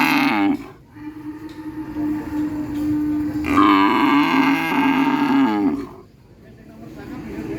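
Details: Real cow mooing: a brief call at the start, then a long steady low tone swelling into a loud, strained moo lasting several seconds before fading into quiet rumble.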